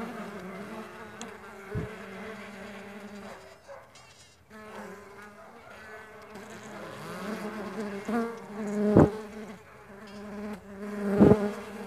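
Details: Stingless bees at a bee farm give a continuous humming buzz of several overlapping fliers, dipping quieter around the middle, broken by three sharp knocks or taps spaced across the recording.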